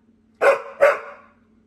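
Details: Mary the Pit Bull, a female dog, complaining at home out of boredom: two close, abrupt, grumbling barks with a drawn-out tail, then quiet.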